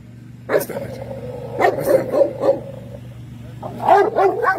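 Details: Dog at an urban dog show giving a few loud barks, one held and wavering over a second, then shorter barks, over steady low hum and background music.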